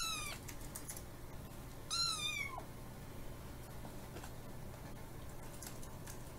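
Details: ['A tiny ferocious kitten named Kiki, who has feline hyperesthesia, demands snacks while being fed bonito flakes; two shrill, wavering meows, the second longer and sliding downward, with faint clicks and room hum between them.']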